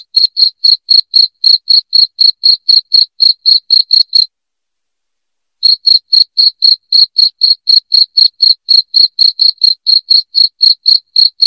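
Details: Shrill cricket chirps meant to chase rats from a home, steady high ticking pulses at roughly four per second, stopping for a gap of over a second midway before resuming; no other sounds.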